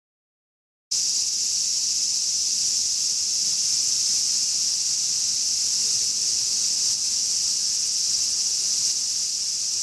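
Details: Large brown cicada singing in summer: after a second of silence, a loud, steady, high sizzling drone like frying oil starts and runs unbroken to the end.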